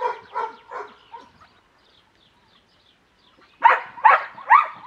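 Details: Cimarron Uruguayo dog from the Cerberus Illusion kennel, trained in tricks by hand signals: three quick barks, a pause of about two seconds, then three louder sharp barks in a row.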